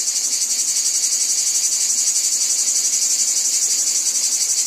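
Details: Cicadas in a wheat field: a dense, continuous high-pitched buzzing chorus that pulses steadily about four times per second, with no other clear sounds.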